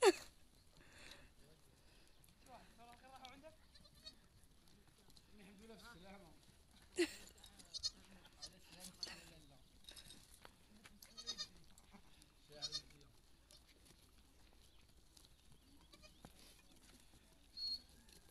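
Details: A goat giving birth, with others coming over to her. Wavering, harmonic bleats recur every few seconds against a quiet background, mixed with human voices and a few sharp knocks.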